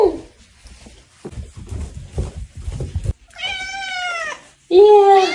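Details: Pet cat on a leash during a late-night walk, giving a long drawn, harmonic meow that slides slightly up then down, followed by a shorter wavering meow, after rustling and footsteps.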